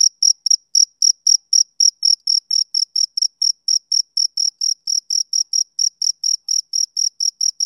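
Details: Male cricket, summer evening: rapid, even train of high, clean chirps, nearly thirty in under eight seconds, the first few slightly louder, against complete quiet.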